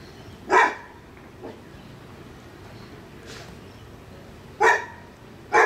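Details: A neighbour's dog barking, captured with a Sony FDR AX100: three short sharp barks, one early and a pair near the end, separated by a quiet stretch with a few faint distant sounds.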